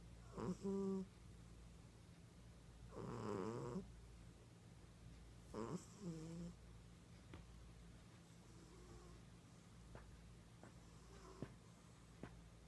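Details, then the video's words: Female cat in deep sleep, snoring loudly indoors: short rough snores, one longer buzzy wavering snore, then fainter breaths, over a constant low electrical hum. "SNORING CAT"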